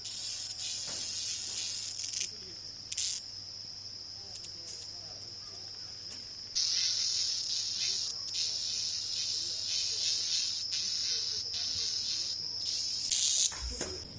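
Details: A cicada gives a loud, continuous high-pitched shrill that swells stronger partway through, heard at night in jungle.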